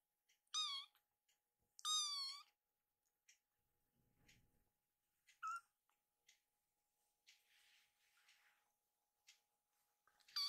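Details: Sleepy rescued kitten, Piyo, begging its mother for bedding indoors: two high, bright harmonic mews rising then falling, then scattered soft rustles and a later short mew, with a steady faint hum throughout.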